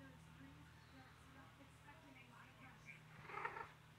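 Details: Tabitha, a domestic cat, rolls around excited and sweet indoors; a faint low, rhythmic purr-like pulsing runs throughout, and a brief, brighter call bursts out near the end.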